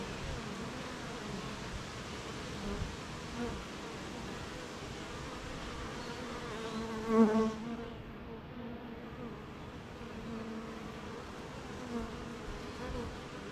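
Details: Honey bees humming at a beehive on a rainy morning, surrounded by gardens, farms and fields; a dense, steady drone with low harmonic bands, one bee swelling loudly past near mid-clip, then the hum settling back.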